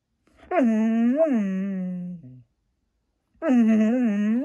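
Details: Indoors, Maya the Siberian Husky talks to an Alexa device with two low, drawn-out, yodelling moans that each carry a quick upward warble, separated by a pause.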